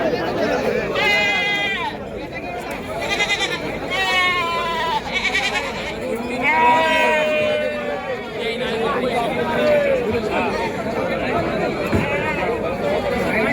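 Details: Goats at the crowded Kashti goat market on 9 May 2026; several wavering, harmonic bleats rise above steady human chatter and bargaining speech.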